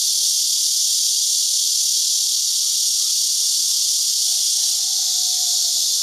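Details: Cicadas in season, many perched on branches in a Houbi District, Tainan farm orchard, digital camera recording; a continuous high sizzling buzz dominates, while a faint thin whistle slides downward near the end.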